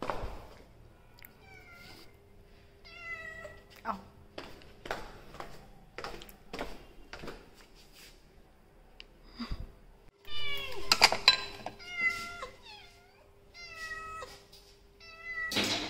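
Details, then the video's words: Persian cats at home: repeated short, thin meows with clear stacked tones, some rising and falling, scattered through the clip, with sharp clicks and knocks from handling, a steady faint hum, and a louder burst of overlapping meows around the tenth second. "Persian cat vlogging"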